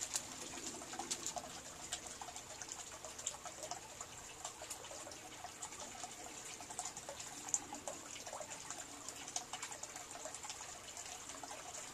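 Steady running or splashing water with scattered drips and taps, and no clear animal call.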